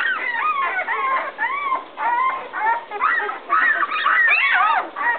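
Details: Several 11-day-old puppies whimper indoors, upset after their mother entered the whelping box and walked back out; overlapping high, whiny squeals rise and fall in quick bursts, about two per second, with brief pauses.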